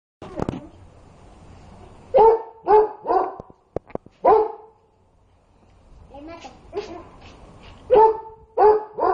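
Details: A dog barks at hot food it cannot cool, as if to make it cool down; a few short bursts of two or three barks separated by pauses, with a person talking in Spanish.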